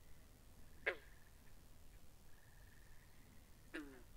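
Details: Two short, sharp frog croaks by a pond stand out against a low rumble and a faint, steady high hum.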